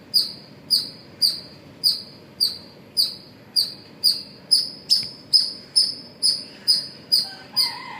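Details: A squirrel gives sharp, high chirps, repeated steadily about twice a second, in the morning hours at Pozhichalur.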